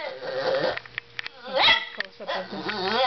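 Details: A male Boston Terrier whines and grumbles in wavering, nasal tones, unhappy and wanting attention.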